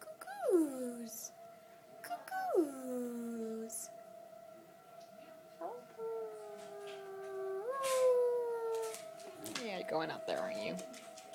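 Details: Howling dog answering a tornado siren indoors. Swooping howls drop sharply in pitch and then hold, followed by softer rising wails over a steady siren-like tone, with people talking in the background.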